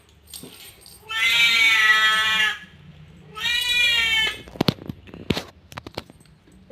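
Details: Talking Siamese cat giving two long, strained meows a second or so apart, followed by sharp clicks and handling noises, as a woman chats to it about its sleep.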